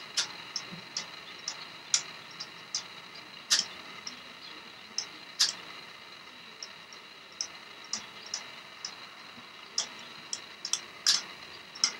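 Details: Irregular sharp clicks and ticks over a faint hiss, with no animal voice heard.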